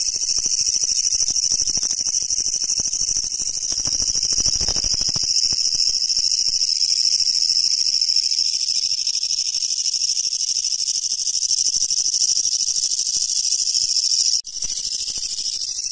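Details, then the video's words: Japanese leaf katydid, a Japanese endemic insect, giving a loud, unbroken, grating buzz of fast pulses. There is a short break near the end, with faint rustling beneath. "茶色と緑色のクツワムシを探したら楽勝だった Leaf Grasshopper Songs!!"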